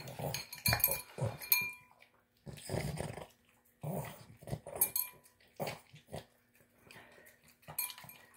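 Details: Boston Terrier snorting while wolfing down its dinner of tuna, egg and kibble; choppy nasal snorts and chewing in short bursts separated by silent pauses, one longer gap near two and a half seconds.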